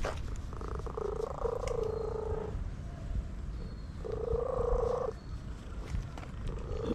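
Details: Purring from an orange stray cat being massaged: a constant low rumble, with drawn-out tonal humming phrases of about two seconds and one second rising above it.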